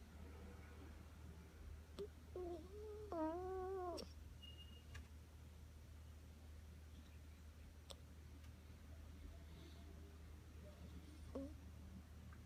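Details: Sleeping Rottweiler puppy Roni, nine weeks old, lets out a short series of high, wavering whimpers in the middle of the recording, then falls mostly quiet with a few soft clicks against a constant low room hum.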